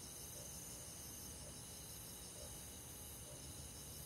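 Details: Crickets and other insects in a forest at night in summer, an unbroken high shimmering trill chorus layered over low hiss, with faint soft notes repeating about once a second.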